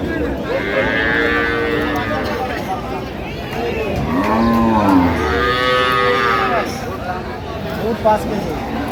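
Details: Cows and calves of an improved dairy breed at the Ambari Haat livestock market, Dinajpur, 15 September 2025: a softer moo early on, then a loud arching bellow near the middle, amid continuous chatter of traders.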